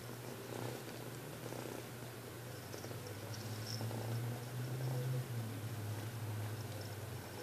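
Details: Joxer, a kitten, comes to be petted for the first time after a couple of aloof days, giving a low, steady purr that swells louder through the middle before easing, over a faint constant electrical hum.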